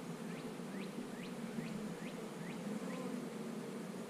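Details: A soft, even hum of honey bees around an eight-frame hive continues throughout. A small bird's short rising chirp repeats about twice a second above it.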